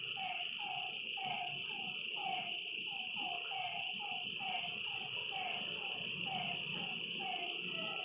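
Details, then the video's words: Lakeside frog at night giving a quick run of short downslurred notes, roughly two per second, over a constant shrill buzz of crickets and other night insects. "Lakeside night creatures and frog sounds"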